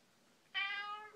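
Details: Pet cat conversing with her owner at home, giving one clear sustained meow lasting roughly half a second, bright with stacked harmonics and slightly falling at the end, in a quiet small room.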